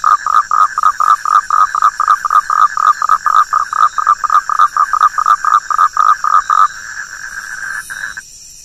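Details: Rapid train of clipped, buzzy frog croaks, about four per second for nearly seven seconds, then stopping abruptly; a faint high hum continues before falling quiet.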